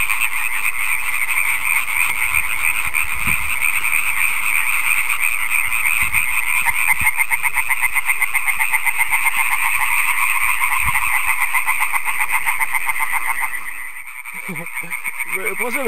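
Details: Chorus of European tree frogs (Hyla arborea) on an evening of 15 May, about 10 km south of Aarhus, Denmark, where they were introduced. Very loud rapid rasping croaks pulse several times a second, with one calling close by.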